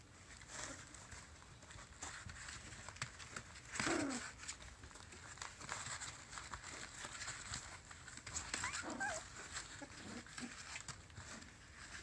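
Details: Corgi puppies learning to play give short yips and soft whines amid scuffling and rustling.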